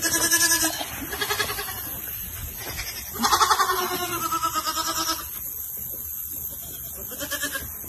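A donkey gives loud, raspy brays that pulse rapidly and break off, then return in another strained burst. Music plays in the background, and a person speaks briefly.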